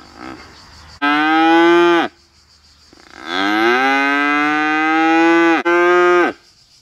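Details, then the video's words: Hornless white Galloway cow recorded at Vendargues mooing: a one-second bellow, a pause, then a longer rising low lasting over two seconds followed straight away by a shorter moo. "VACHE qui MEUGLE 🐄CRI de la VACHE"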